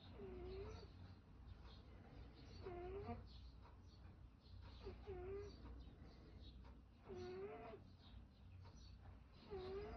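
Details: Domestic cat with laboured, worrying breathing and an odd noise: faint squeaky tones that rise then dip, recurring roughly every two seconds over a steady low rumble.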